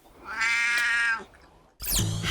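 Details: A 22-year-old female brown tabby cat gives a long, deep, steady meow, followed by a second, abrupt call.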